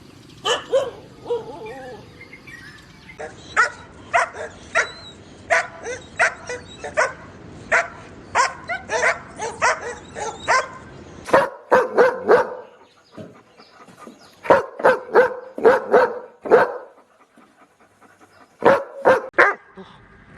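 Dogs bark in sharp, repeated bursts, some in quick runs and others spaced singly.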